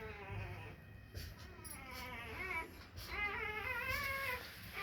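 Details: A female Rottweiler puppy whines in high, wavering, drawn-out cries that rise and fall.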